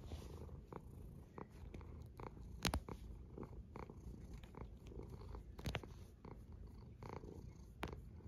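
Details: A sleeping cat snoring: a steady, low rumbling breath sound that fills the whole stretch, broken by scattered short sharp clicks and ticks.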